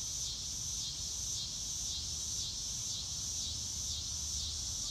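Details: Chorus of crickets outdoors: a bright, high, continuous trill that pulses gently in loudness about twice per second, with a soft low background rumble.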